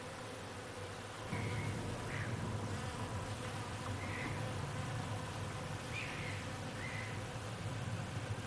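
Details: A foraging honey bee's low, steady wing buzz hums on and off at a flowering hazel tree, with faint chirps in the background.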